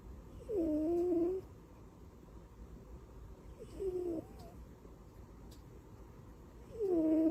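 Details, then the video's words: Butters, a pet cat, asleep and tucked in like a baby, gives three short nasal snores, each a wavering whiny tone that dips and rises, about three seconds apart over a soft steady background hiss. "Cat snores and sleeps like a baby"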